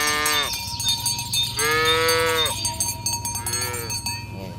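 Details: Tame cows herded in the morning on village roads: three or four moos, each falling in pitch at its end, among dense cowbell jingling and a low rumble.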